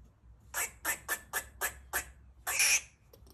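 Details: Female pet squirrel Bestie, a rescue in heat, giving mating calls and barks while eating; six even, rapid rasping barks about a quarter second apart, then a longer harsh squawk, in a quiet indoor setting.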